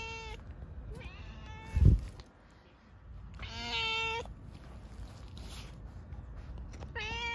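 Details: Stray cat being offered a lickable treat, meowing in several bright drawn-out calls with strong harmonics, one long meow in the middle, amid a loud thump and rustling.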